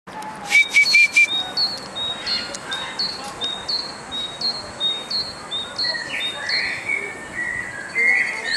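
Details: White-handed gibbon at Stuttgart Zoo, Germany, giving a series of short, high whistled notes that each slide upward, repeated quickly and steadily over several seconds, with a few louder whistled notes at the start.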